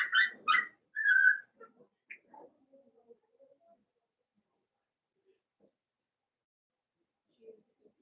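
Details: Blenheim Cavalier King Charles Spaniel puppies, one of a litter of five born at New Year's, in an indoor puppy pen: a burst of high, squealing whines and yips in the first second, then scattered soft whimpers fading to near silence.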